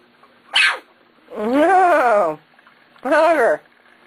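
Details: Corgi puppies, 19 days old, from the Sugar and Kobe litter, give loud drawn-out whines with arched, harmonic-rich pitch, one long cry then a shorter one after a brief sharp squeak; steady low hum beneath.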